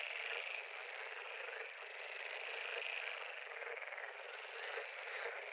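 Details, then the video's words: A full frog chorus from a pond: many callers overlapping in continuous grating trills with slight rises and falls in volume, no gaps and no other clear sounds. "Frog pond- Sound Effect"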